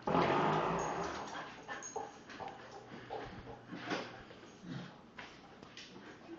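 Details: Ajax, a 1.5-year-old male blue heeler playing pass with toys, gives a short whiny vocal burst at the start, followed by scuffling, clattering toy knocks and soft thumps indoors.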